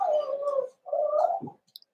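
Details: Young Cavalier King Charles Spaniels in an indoor puppy pen, socializing with bigger adult dogs on December 13, 2022; two smooth, moaning whimpers, each under a second, separated by a short pause, then a soft click.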